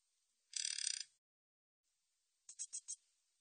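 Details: Min's bush cricket recorded by the National Institute of Biological Resources in 2020: a dense buzzy high-pitched burst lasting half a second, then after a pause a short run of four quick chirps, with silence between.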